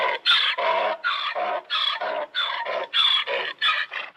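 A donkey brays, a harsh see-sawing run of honking notes repeated in quick alternation.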